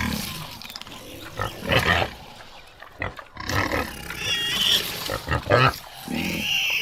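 Rough grunting and squealing calls from a common warthog come in short, uneven bursts across a few seconds. A higher, drawn-out squeal closes the sequence over a background of outdoor noise.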